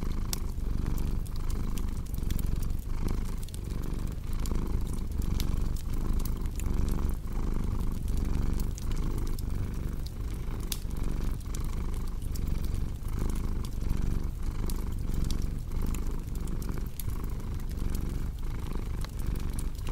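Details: Steady low purring of a cat, rhythmic breathing swells under a constant layer of fireplace crackle and snapping embers.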